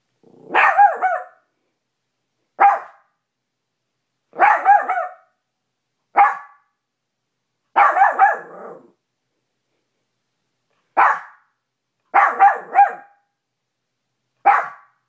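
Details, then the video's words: Cash, a small Maltipoo, barks at his own reflection in a bedroom mirror after discovering it; sharp yappy barks, some doubled, come in bursts every one to three seconds with silent gaps between. "Cash maltipoo barking at mirror"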